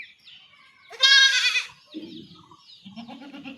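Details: A young goat being castrated by villagers in rural Bengal gives one short, sharp bleat, followed by men talking in low voices.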